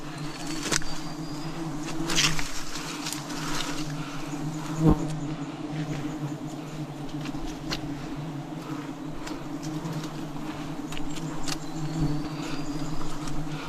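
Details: Forest honey harvest of wild bees in 2026, a dense swarm producing a continuous low buzzing drone, steady in pitch, broken by occasional taps and knocks, with one louder thump near the middle.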